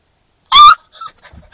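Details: Young Newfoundland-Labrador cross puppy crying in a car during its first week with a new family, upset at being separated from the humans: a single sharp, bright yelp followed by soft, breathy whimpers.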